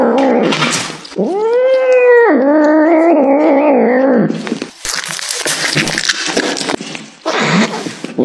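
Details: Cat eating beef liver; a loud, drawn-out rising meow followed by a long wavering yowl lasting about three seconds, then noisy chewing and rustling sounds.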